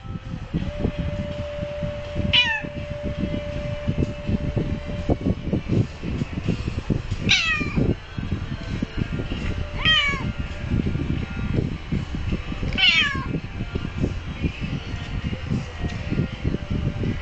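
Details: A house cat that won't let its owner touch the computer mouse gives four short meows, each sliding downward in pitch, spaced a few seconds apart, over constant loud low rumbling and a steady hum.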